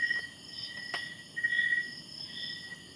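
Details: Crickets at Twin Pines Camp in Alfonso, Cavite, Philippines, a cool-weather campsite, louder than the nearby residential noise: steady high-pitched trilling tones held continuously, with a few sharp clicks and faint background rustle.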